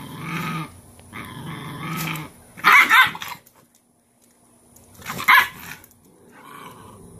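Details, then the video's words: Cashmere, a Cane Corso mother, correcting her bossiest female pup and laying her down in submission. A deep harmonic growl is followed by two loud, harsh snapping bursts spaced a few seconds apart. "How mother dogs handle disrespectful puppies: Part 1"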